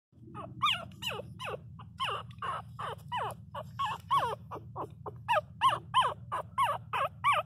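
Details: Miniature Pinscher puppies crying loudly: high, arched whimpering yelps that rise then fall, about three per second, some louder and sharper near the end, over a steady low hum.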